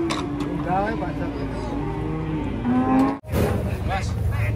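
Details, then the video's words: Cattle coming down from a truck, heard as low, drawn-out moos with a steady pitch, one lifting near the end, over engine rumble and background noise, then a short break and noisy rustling. "SAPI LUCU MASIH NGANTUK TURUN DARI TRUK"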